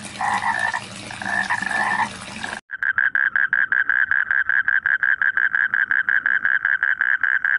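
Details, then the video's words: Frogs calling in rice fields: a dense, overlapping chorus of nasal croaks for the first seconds, then an abrupt cut to one steady run of short, mid-pitched pulsed croaks repeated about four times a second. "SUARA KODOK DI SAWAH | The Sound of Frogs in the Rice Fields"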